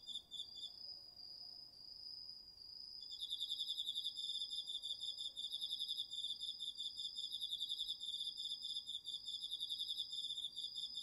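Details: Autumn night insects, crickets among them, calling in a garden vegetable patch, recorded with a DR-40X: one sustained high shrill tone, then after about three seconds a loud rapid pulsed trill joins and runs steadily to the end.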